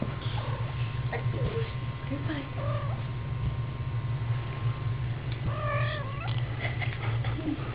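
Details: Kitten mewing repeatedly, short wavering cries early on and a longer, louder rising-falling mew near six seconds, over a low steady hum.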